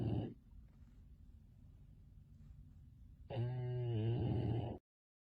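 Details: Bulldog Finnley sleeping; a snore tail at the start, then quiet breathing, then one long, harsh, rattling snore of about a second and a half before the sound cuts off.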